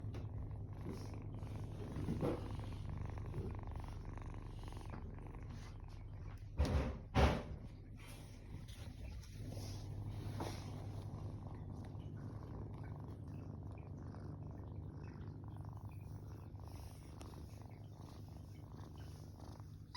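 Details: Rescued calico (sabi) kitten, on its 21st day after rescue, sleeping on its back with arms raised, purring: a low steady rumble running throughout, with a brief louder thump near the middle.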